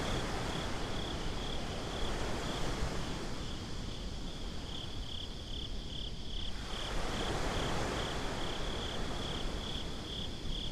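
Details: Beach crickets at night, recorded binaurally: rapid regular chirping on one high note, close to four pulses a second, briefly fading mid-way as breaking surf swells and recedes below.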